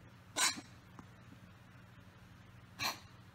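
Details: Domestic cat coughing: two short, harsh, noisy bursts about two and a half seconds apart, with a low steady hum in the background.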